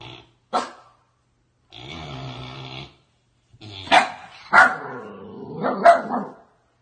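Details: Puppy making a short sharp bark, then a sustained harmonic whine-like growl, followed after a pause by several rough barks and growling yelps.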